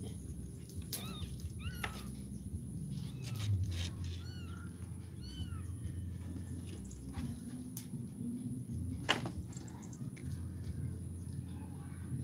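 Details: Kitten, a village cat in Indonesia, meowing during a livestream: several short, high arched mews scattered through the stretch, around a second apart, over a steady low room hum, with a woman speaking softly nearby.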